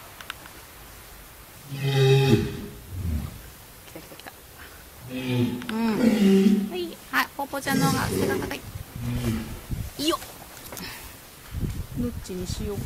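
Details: Captive walrus Himawari at Ise Sea Paradise aquarium near closing time, relaxing yet still asking for a greeting; low, groaning harmonic calls come in separate bursts at about two, six and eight seconds, some rising and wavering, over background noise.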